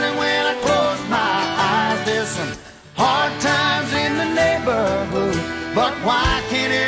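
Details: Country-style guitar music with singing plays throughout.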